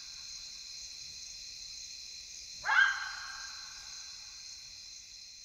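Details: Wild side-striped jackal (Lupulella adusta) at night in the African bush of Kafue National Park, Zambia; a single abrupt yelping bark falling quickly in pitch midway through, with a steady shrill insect chorus behind.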